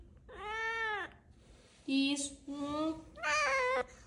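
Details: Tofu, a Siamese cat, politely begging for treats indoors: four drawn-out, harmonic meows, the first arching up then down, the middle two lower and flatter, the last high and strained, with short quiet gaps in a small room.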